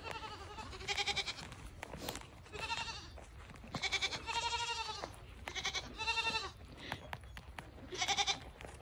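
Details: Newly acquired pet fainting goats bleat in short, wavering, nasal calls, several voices overlapping in quick succession, with a person talking to them.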